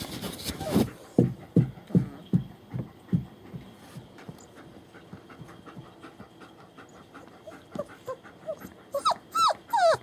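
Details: Litter of German Shepherd puppies at a kennel in Mayo, Florida, born 28 January 2015; steady rhythmic panting through most of the clip, then a cluster of high, wavering whimpers at the end.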